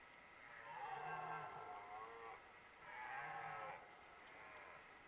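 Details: Two deep, drawn-out roars, each a second or more, from red deer stags in the 2023 rut, with two bulls present.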